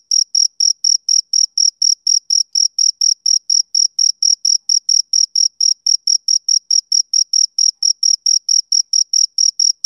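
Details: Rhythmic high chirps from a male cricket repeat rapidly, near four per second. The tone stays constant and the beat stays steady from start to finish, against a silent background.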